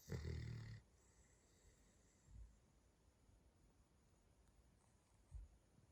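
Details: Snoring Cavalier King Charles Spaniel: a loud, rasping low snore opens the recording, then two softer snores follow, spaced about three seconds apart, with near silence between them.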